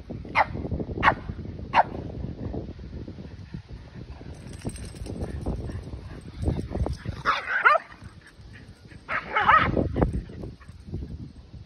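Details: A Keeshond and a Boston Terrier play-fighting in a big yard: three short sharp barks in the first two seconds, then scuffling and panting, followed by two bursts of harsher growling yelps near the end.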